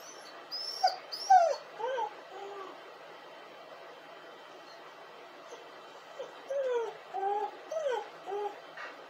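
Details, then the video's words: Crying dog giving repeated high, bending whines and whimpers, each sliding down in pitch, in two bursts of several cries with a quiet pause between them; a faint steady hum runs underneath. "dog crying and hurling!"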